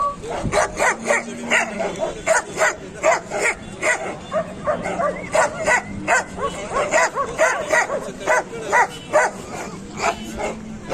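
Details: Barking dogs at the Kohat dog market, Pakistan, featuring Pakistani bully dogs and German shepherds: loud sharp barks repeated in quick bursts, roughly two per second, with several dogs overlapping and people talking beneath.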